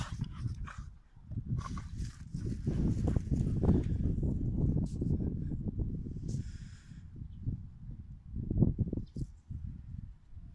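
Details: Playful Pit Bulls wrestling: deep, rough growling swells and fades in long continuous stretches, with scraping and shuffling sounds of the tussle above it.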